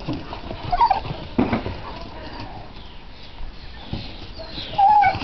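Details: Dog named Zuva, excited while playing chase with a new canine friend, Bourbon, in a garden on his first day, whining as she charges after him; thin high whimpers, one near the start and a longer wavering one at the end, over rustling and patter.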